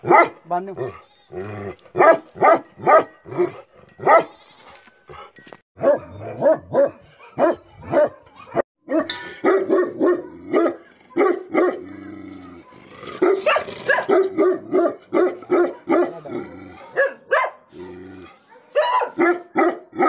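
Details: Sustained, irregular volley of deep angry barks from a Tibetan Mastiff, the Bhote Kukur, continuing for about twenty seconds with barely a pause and harsher, noisier stretches midway.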